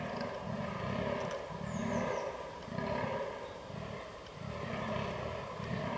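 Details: Fallow deer rutting on 22 October 2022, filmed with a Canon R6. Guttural, burping groans come in a steady series about once a second, each a short rough pulse, with a brief faint bird note in the background.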